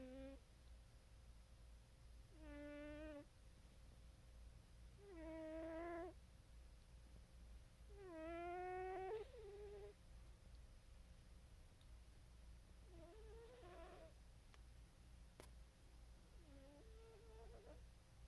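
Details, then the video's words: Pet cat, said to be dreaming and snoring, gives five faint drawn-out moaning calls with rising and bending tones, about every three to four seconds, the last two softer, over a low steady background hum. "our cat is dreaming and snoring"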